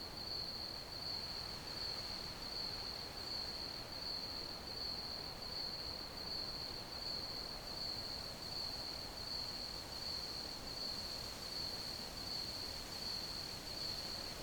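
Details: Long unbroken run of shrill cricket chirping, an even, pulsing high trill that barely varies, laid over a constant soft hiss and low rumble.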